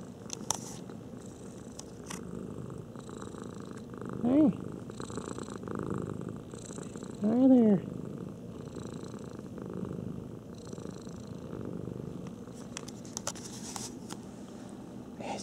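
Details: Domestic cats indoors: a steady low purring hum runs throughout, broken by two short rising-then-falling meow-like calls near the middle, with faint clicks and handling noises.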